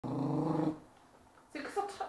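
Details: Pet dog, four years old and of unknown breed, growling because she didn't like having her leg touched that day; a low rumbling growl lasts under a second, then a short pause and higher whining noises.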